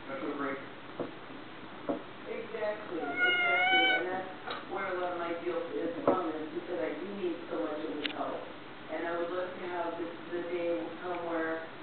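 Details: A foster cat meows while 'talking' for the camera indoors: several drawn-out, harmonic meows, some rising then falling, come in loose bursts over nearly twelve seconds, mixed with a person's voice speaking throughout.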